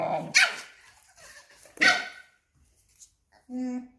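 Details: A tiny Papillon standing up to a much bigger Belgian Malinois and cornering it: two sharp, high barks about 1.5 seconds apart, then a short tonal whine near the end, with faint voices in the background.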